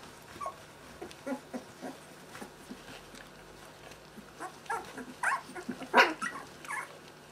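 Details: Two-week-old Merszi x Victor puppies during play and a potty break before feeding, giving short high squeaks and whining whimpers in irregular bursts that grow louder and denser toward the end, with soft rustling underneath.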